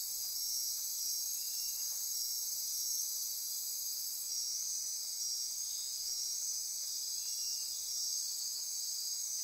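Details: Nighttime rainforest insects near Corcovado National Park, Osa Peninsula, Costa Rica, form a constant high, ringing chorus of trills and buzzes; dashed pulsing tones repeat over the steady hum, with a brief faint lower sound near two seconds.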